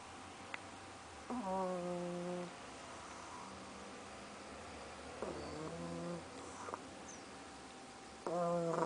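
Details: Sleeping pug snoring: three tonal, humming snores, each about a second long, come roughly every three to four seconds, with quiet breathing between them.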